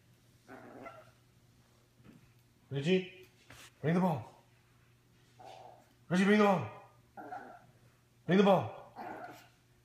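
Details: Indoors, the ball-obsessed teacup Yorkshire Terrier puppy Ricci gives loud, falling barks about every two seconds during a game of fetch, while a person repeatedly calls his name and asks him to bring the ball.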